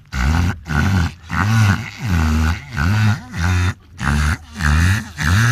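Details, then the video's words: Wild orca Luna, friendly toward people, copies the noise of boat motors to try to communicate and say hello: a steady series of low, arching, engine-like groans, roughly one every half second, separated by brief silences. "La vidéo d'une orque {Luna} qui imite à la perfection le bruit d'un moteur de bateau !!"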